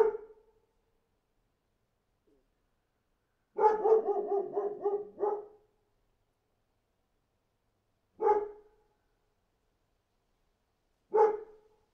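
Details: Barking dog: a single bark, then a fast burst of five or six barks, followed by two isolated barks spaced about three seconds apart, otherwise quiet.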